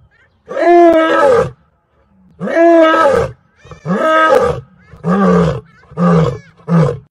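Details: Lion roaring in a series of six deep, moaning calls. The first is long and each swells then falls in pitch. The calls grow shorter and come closer together toward the end, with quiet gaps between them.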